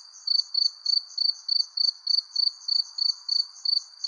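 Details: Under a persimmon tree at sunset, crickets repeat short high trilled chirps a little over three times a second, steady and even, backed by a gentle low hiss.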